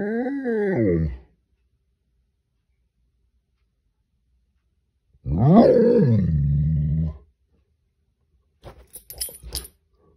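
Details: Great Dane squaring up to a crayfish, letting out a rising-falling bark-howl, then after a pause a second, harsher, longer bark that drops in pitch, followed by faint scuffling knocks.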